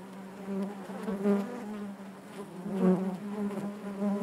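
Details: Inside a honey bee hive the colony drones continuously, a low even hum that rises in short louder surges about every second, overtones layered above the steady note.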